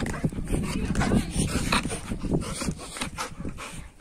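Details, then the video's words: Labrador Retriever named Sibbu, shown getting angry: short tonal whines and low grumbling bursts come in uneven spurts over four seconds, mixed with human speech and handling noise. "Labrador Dog Ko Aaya Gussa"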